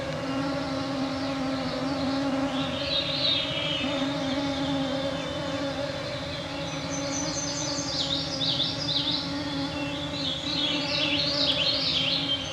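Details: Mosquito swarm at 9pm on a summer evening, June 2024, northwestern Ontario, Canada, Canadian Shield: continuous humming whine holding steady throughout, overlaid by bursts of twittering, rising and falling bird song in the distance.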